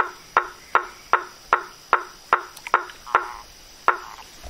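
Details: Frogs in nature heard as a series of hollow, woody knocks, about two or three per second, sharp and evenly spaced, over a quiet background with a thin steady high hum.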